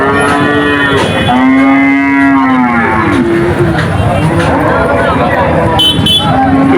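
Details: Cattle crying at a cattle market: low, drawn-out, wavering moos repeated over the steady roar of a noisy crowd and nearby voices.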